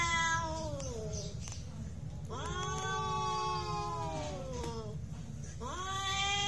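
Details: Cats in a real fight trade drawn-out, quavering yowls, several long bending wails with strong overtones, a few faint clicks between them, steady low hum beneath, and a woman's voice speaking Polish afterwards.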